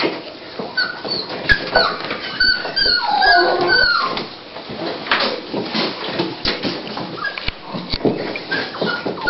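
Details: Female Toy Pinscher whimpering indoors at the start of labour, before giving birth to puppies, recorded 28 October 2012; thin, high wavering whines come in short bursts, loudest around the middle, while a person speaks briefly.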